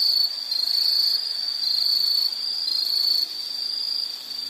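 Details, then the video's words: Insects chirping in a nature setting, a dense high-pitched trill held steady with slight pulsing swells, several overlapping callers forming a continuous shrill band, no other clear sounds. "Nature Sound of nature sounds scenery L · insect"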